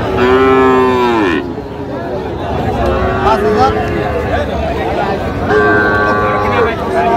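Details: Young Sahiwal bull calf at a Bangladeshi cattle market, bought by a farmer from Narayanganj in August; a loud, rich harmonic moo bends downward in the first second, then further moos follow near three and six seconds over crowd noise.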